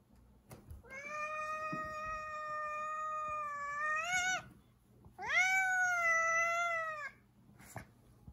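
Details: Angry house cat Zefir blocks the kitchen and won't let anyone pass; two long, steady harmonic yowls, each over two seconds, the second starting low and rising before holding, with a brief pause between and light thumps.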